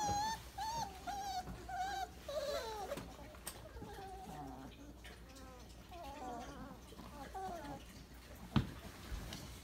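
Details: Twenty-eight-day-old Weimaraner puppies piled together for an after-breakfast nap produce thin, quavering whines and squeaks, several pups overlapping, with quieter murmurs and a brief knock near the end.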